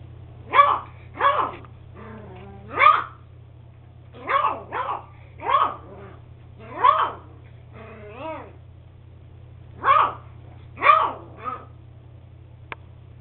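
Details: Young beagle Max, eight weeks old, lets out a long series of high squeaky barks, often in doubles, one drawn-out whine near the middle, steady hum behind.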